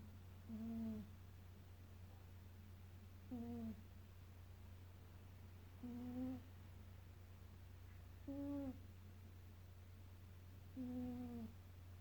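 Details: Leroy, a Maine Coon cat, snoring indoors: short tonal, slightly rising snores with ringing overtones, repeating about every two and a half seconds over a steady low electrical hum.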